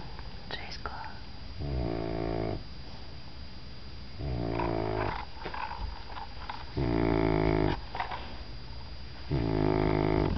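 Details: Sleeping Dobermann puppy Zena snores in four loud, grating, harmonic bursts about two and a half seconds apart. Soft clicks and rustles fill the gaps.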